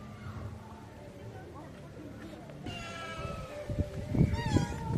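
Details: Street cats waiting hungrily for food, with a long, wavering meow starting midway, followed by shorter overlapping cries amid low-pitched background rumble and bumps.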